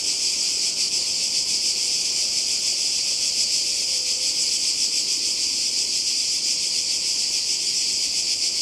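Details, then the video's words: Summer cicada chorus beside the Croatian sea, 2020, holding a steady, shrill, unbroken buzz at high pitch throughout, with a faint low whistle briefly audible midway. "Kroatien Zikaden und Meer"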